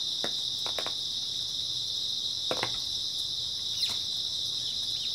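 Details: Continuous shrill chirping chorus of grass insects on an early autumn night, steady and even, with scattered crackling clicks and one faint falling whistle near the end.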